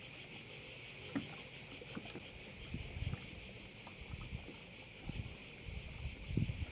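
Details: Crickets shrilling beside a bay on Korčula, a bright pulsing buzz held steady throughout, while irregular low thuds and knocks, like water against a boat, break in repeatedly.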